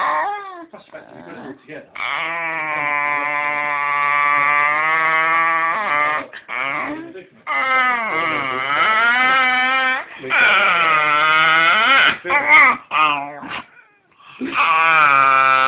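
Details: Pet dog 'talking' and almost laughing while stroked on the belly, wanting more attention; a run of long, tonal whining howls that waver, dip and rise, broken by short pauses, indoors.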